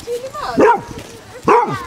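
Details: Basset Hound in a group of fifteen Bassets walking four miles to the sea at Otterton, South Devon, in light rain; two loud, harmonic, bending baying barks about a second apart, with a woman's voice between.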